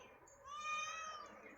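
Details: Indoor cat that loves air from a fan utters a long, clear meow, rising then levelling off and fading, against constant fan noise with a person speaking nearby.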